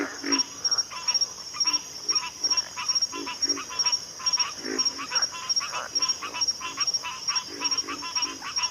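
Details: Pig frog grunting: short, rough, low grunts in quick bursts, repeating irregularly about 44 times a minute, over a constant high, thin insect whine running the whole time.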